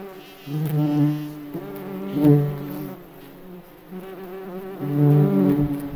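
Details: In forest surroundings a May beetle's wings hum deeply, the buzzing drone rising and falling in three swells over a few seconds.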